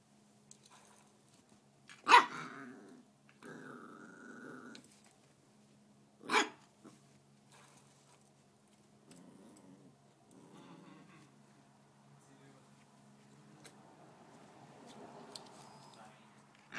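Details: Corgi puppy playing with a bike pedal: a short nasal whine, soft low growls and scuffling, broken by two sharp metallic clicks, with a steady low hum throughout.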